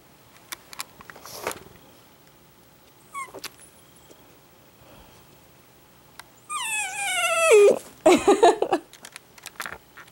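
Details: An Italian greyhound indoors, suddenly crying loudly: after scattered soft clicks and knocks, one long descending whining cry breaks into a burst of rough, choppy yelping sounds.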